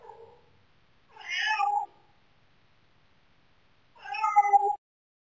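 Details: A house cat crying at night to be let into the bedroom: two loud, drawn-out wailing meows, each lasting under a second and rising then falling, separated by about two seconds of quiet indoors.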